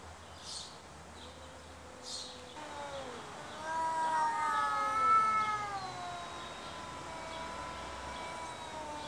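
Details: Two stray cats arguing with each other: drawn-out, wavering yowls that bend up and down in pitch, starting low and quiet, then swelling into louder overlapping wails midway before easing off, with a few short scratchy noises near the start.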